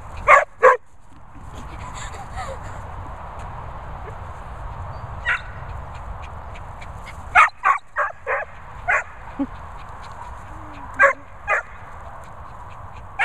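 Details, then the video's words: Vizsla named Maggie vocalising alongside a Bichon named Peppa: two sharp yelps at the start, then a quiet stretch, then bursts of short whining yips and moans, with a low background hum. "Vizsla Vocal Maggie"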